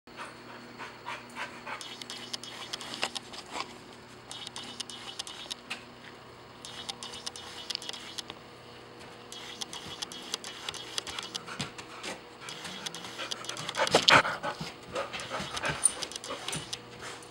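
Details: A golden retriever puppy playing with another dog at a home-style dog boarding and daycare in the Blue Hill area, Maine, pants rapidly in short, breathy bursts, with scuffling noises.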